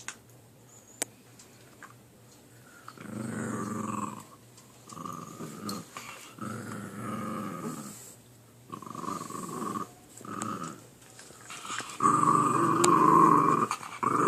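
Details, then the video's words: Puppy growling while two young dogs fight over a chew indoors: a run of rough buzzy growls in repeated bursts of one to two seconds, getting louder and harsher near the end. "Puppy makes weird noises"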